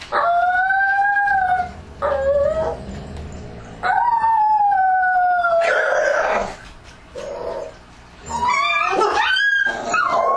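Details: Night-time dog howling: long, loud, clear howls rising slightly then falling, with shorter yelping howls and rough overlapping cries, as if several dogs join in, with brief lulls between.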